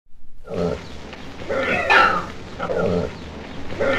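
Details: Red river hog at London Zoo, U.K., giving low rough grunts in short bursts about once a second, broad and noisy, with a harsher, louder grunt near the middle.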